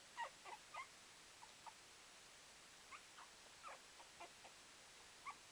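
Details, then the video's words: Puppy making adorable noises: a string of soft, short squeaky whimpers and chirps, irregular, roughly every half second in bursts, quiet over steady background hiss. "Puppy making adorable noises"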